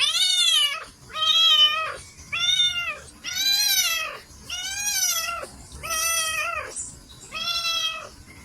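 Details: Domestic cats meowing: seven loud, drawn-out meows in steady succession, each arching up and then falling in pitch, with about a second between calls and a quiet background.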